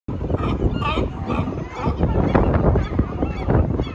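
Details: Crowded sea lions at Pier 39, San Francisco, USA, a dense, loud chorus of hoarse overlapping honking barks from many animals, with no pause.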